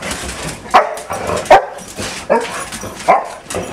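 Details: Indoor barking from a household of six dogs named Esther, Becky, Doxie, Sandy, Pudge and Buddy on a typical morning at home; four sharp barks spaced under a second apart, a person's voice speaking between them.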